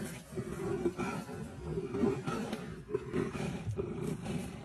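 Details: Rival leopards from different territories scuffle in a tree at Sabi Sand beside a fresh kill; continuous rasping growls and snarls pulse irregularly, roughly once a second, under steady low rumble.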